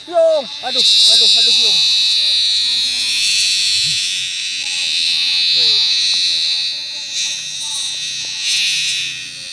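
A cicada's loud, steady, high-pitched buzzing drone fills the air, with brief human voices at times.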